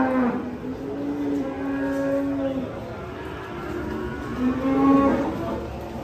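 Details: Cattle unloaded from a truck, said to be raging: two sustained moos, a long even one followed by a shorter, slightly higher one, with faint voices behind.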